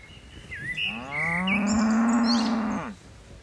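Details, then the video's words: Cattle on a mountain hillside, part of a tame herd leaping downhill: a single sustained low moo about two seconds long, steady in pitch, with a bird's whistled notes at the start. "Suara lucu sapi moo"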